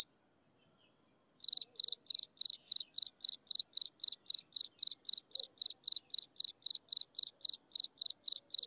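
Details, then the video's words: At sunset, after a second and a half of only a thin high hum, insect chirping starts: brisk repeated high pulses about four per second continuing evenly to the end. "Listen to insects chirping in the sunset"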